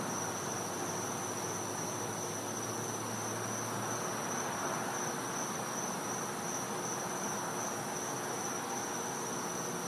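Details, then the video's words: Back-yard cicadas, Florida, winter night: a piercing high tone drones steadily from start to end, with a low hum in the first few seconds and constant background hiss. "Cicada Sounds"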